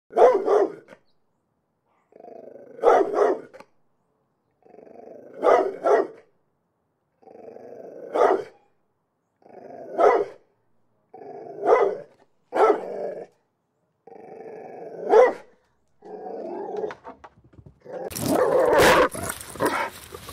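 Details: A dog barking. Each bout starts as a low growling rumble and ends in a sharp bark, repeated about every two and a half seconds. The sequence closes with a loud, harsh burst of noise.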